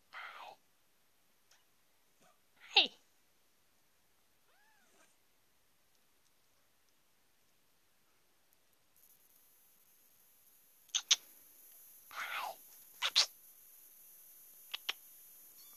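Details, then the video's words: Two-week-old kittens in a litter; scattered short, thin mews, one loud squeak early and a cluster of sharp cries later, with long quiet gaps and a faint steady electronic hiss in the second half. "yade litter 2 week old"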